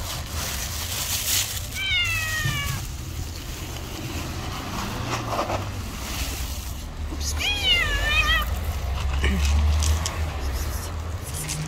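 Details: Stray cats clash in a street fight, letting out two brief quavering yowls several seconds apart, each wobbling up and down, against constant low traffic-like rumble.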